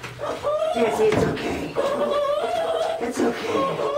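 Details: A Lhasa Apso named Jesse cries while being bathed indoors, giving drawn-out, tonal whines that hold steady, then bend slightly up and down, in two long stretches with brief breaks between them.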